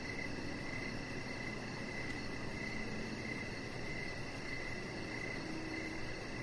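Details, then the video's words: Crickets chirping outdoors by a deck in the evening: a steady, high, pulsed trill repeating about once a second, with a fainter, higher shimmering pulse above and a broad low rumble of background noise underneath. "3 Hours Of Chihuahua Puppy Laying On Deck with Cricket Sounds"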